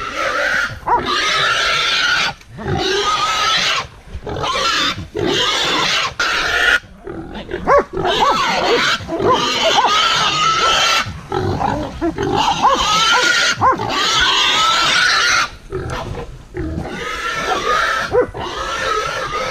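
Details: Wild boar confronted by hunting dogs, squealing loudly and almost continuously in long harsh bursts with short gaps, a broad noisy scream with wavering tonal bands, rough growl-like sounds mixed in.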